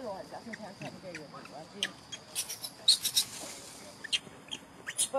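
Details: Pampered little macaque monkey whistling angrily when he disagrees: a quick run of short, harmonic, upward-bending cries fills the first two seconds, followed by sharp high clicks and rustling handling noises.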